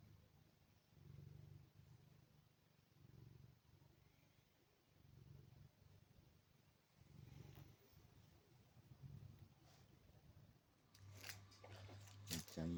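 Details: Low, soft purring from a male Maine Coon house cat born July 2021, rumbling in repeated swells every couple of seconds, followed near the end by brief rustling and handling noises.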